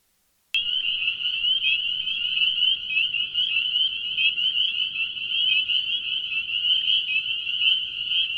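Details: A dense evening chorus of spring peepers, tiny tree frogs calling loudly from reeds at a wetland pond in spring in the northeastern US, gives high, shrill peeps that blend into one steady ringing.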